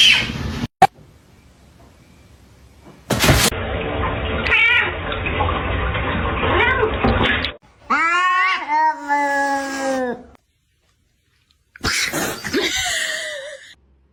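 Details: Domestic cat meowing: a long, wavering meow that bends down at the end, then after a pause a shorter meow sliding downward, following several seconds of steady rushing noise like running water.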